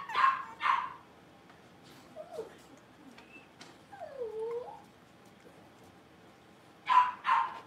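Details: Blenheim Cavalier King Charles Spaniel puppies, a litter of five raised in a home pen, practising barking and howling. Two shrill barks open, wavering whimpers and a drawn-out sliding whine follow, then two more sharp barks close.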